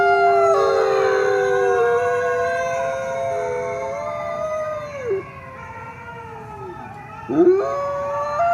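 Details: Coyotes howling together, several voices sliding slowly downward and fading, a quieter stretch, then a quick rising swoop and a renewed held note near the end.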